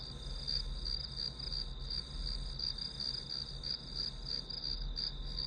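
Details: Grass insects chirp as ambient white noise for a study session, a bright, rhythmic trill of quick regular pulses, about three per second, with a low constant hum below.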